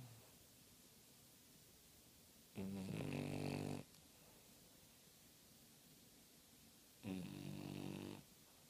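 A French Bulldog snores in two long, rumbling, rattling breaths about four seconds apart.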